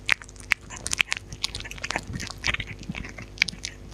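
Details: Dog eating, recorded close up with no talking: sharp crunchy bites and wet chewing clicks in quick irregular bursts, with several louder crisp snaps spread through the stretch. Quiet indoor room background.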